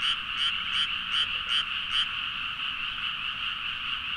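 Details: Midnight frog chorus in rice fields near Nagaoka, Niigata, Japan, captured with a Zoom H4n: six sharp, loud croaks spaced about every 0.4 seconds open the recording, then only the continuous massed chorus remains.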